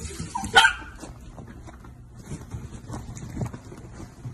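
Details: Miniature Dachshund with a single sharp, loud bark near the start, followed by quiet indoor rustling and faint thumps.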